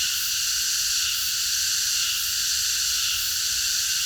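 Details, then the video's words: Night chorus of cicadas in a park, a continuous high-pitched hissing buzz layered in bright bands, constant and without pauses, over a soft low rumble. "매미들의합창 밤어느공원에서"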